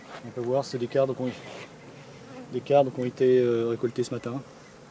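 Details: Honey bees of a drone-laying colony shaken from their frames about fifty metres from the apiary: rapid bursts of low buzzing with rich overtones, close passes coming and going several times a second.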